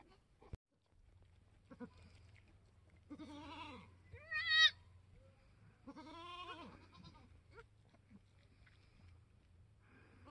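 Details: Newborn mini Alpine goat on a homestead, March 13, 2021, during a doe's labor; several soft wavering bleats over a steady low hum, with one sharper cry near four and a half seconds.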